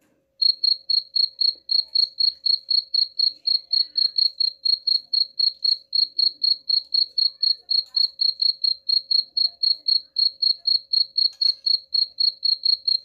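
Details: Cricket chirping, played as a rat repellent: a steady high chirp pulsing about four times a second from start to end, with faint clicks in the background.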